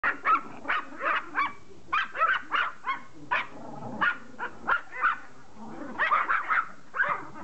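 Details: Pomeranian begging to play fetch, barking in quick high-pitched yaps, roughly two to three per second in bursts across the whole stretch, with short pauses between groups.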